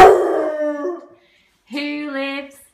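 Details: A Basset Hound joins in singing a nursery rhyme when his name is mentioned, giving two long, mournful howls, each held steady for about a second.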